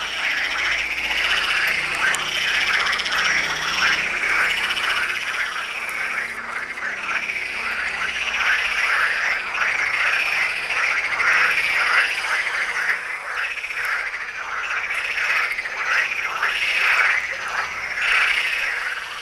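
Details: Frog chorus at the Tyre necropolis, Lebanon: many frogs croak together in fast, pulsing rattles that swell and fade in waves, forming a continuous wall of sound.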